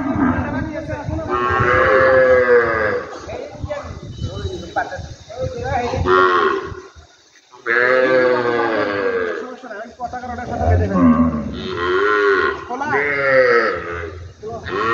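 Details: Cattle lowing in a clip about lumpy skin disease, the viral illness of cattle and water buffalo; several long harmonic moos, some rising then falling, separated by brief pauses, with speech faintly in the background.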